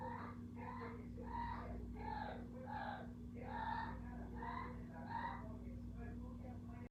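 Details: A cat named Kiko voices a steady string of brief, hoarse calls, one nearly every second, rising and falling slightly in strength, with a constant low hum underneath.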